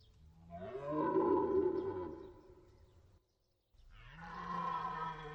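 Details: Two long, rasping deer roars. The first rises then sinks over about two seconds, and after a brief silence a second, smoother bellow begins.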